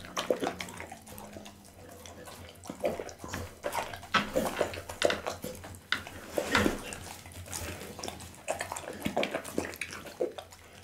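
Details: Bounce the pit bull gnaws through a raw meal of horse meat, lamb spine, kidney and fish. Sticky, squelching chews and snapping crunches repeat unevenly, recorded with an Insta360 ONE R camera.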